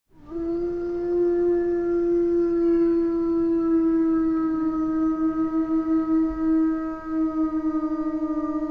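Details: Wolf howling in a jungle setting: one long, steady, slightly falling tone held for about eight seconds, wavering toward the end, with no other sounds.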